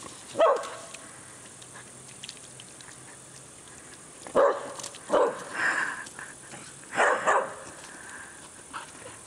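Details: Whippets meeting a horse for the first time: a sharp bark, then a spaced series of short yips and barks in the second half.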